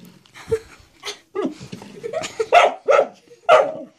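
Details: Pet dog in a small room barking at a door stop he apparently perceives as a threat. Early muffled sounds mix with a person's voice, then three strong, sharp barks follow about half a second apart.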